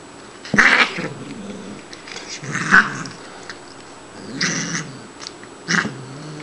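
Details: Siamese cat named Shiloh, a female found as a tiny kitten behind a grocery store, vocalising indoors during playtime: four short chirping meows and trill-like calls spread over six seconds, with quiet room noise between them.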